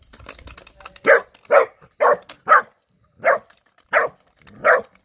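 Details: Erny, a Bernese Mountain Dog puppy aged three months, gives seven short, sharp barks spaced about half a second apart after a brief stretch of clicking and tapping noises.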